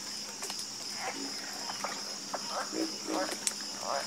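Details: Night chorus of frogs: scattered gruff croaks and brief rattling notes, a few overlapping, set against a constant shrill buzz of insects.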